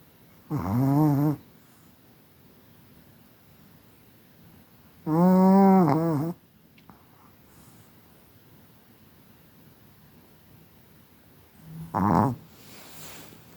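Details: Chihuahua Kira from Moscow, a graduate of the Kastropulo kennel in Crimea, sleeps and snores softly. Three whistling, nasal snore breaths come at irregular gaps; the middle one is longest. The room is otherwise quiet.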